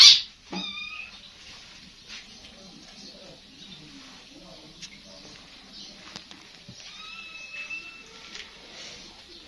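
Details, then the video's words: Small street kittens asking for food from a person calling them, with thin high mews near the start and again later, amid low rustling and background noise. "صوت قطة صغيرة كيوت"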